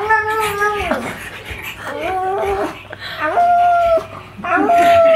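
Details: Magoo, a male pug, goes nuts while watching himself on TV and makes weird noises: long high whining tones held about a second each, with a short drop between them and a final sustained whine.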